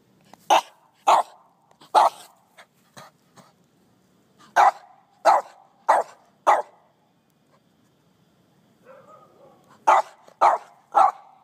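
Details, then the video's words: Scruffy the dog reacts to ants in a lawn with bursts of sharp barks, several quick ones in a row, a pause with softer whining sounds, then another rapid run of three barks. "Scruffy Vs Ants"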